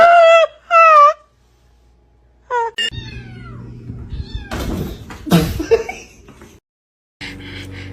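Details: Cat giving two clear meows, each wavering then falling, followed by shorter high cries, then muffled thumps, rustling and a low hum in an indoor setting.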